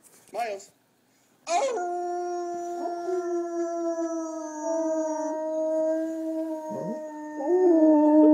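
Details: Pet dog howling in response to a recording of his own earlier howl played back; long, steady, slightly falling drawn-out howl with harmonics, a short yip at the start, voices briefly audible.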